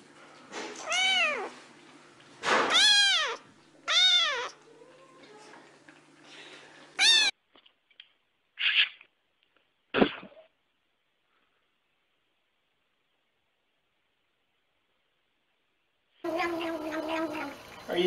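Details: Pet cat giving several loud, bent meows in quick succession, then short scattered noises and a silent gap, ending with a harsher, noisy burst of sound.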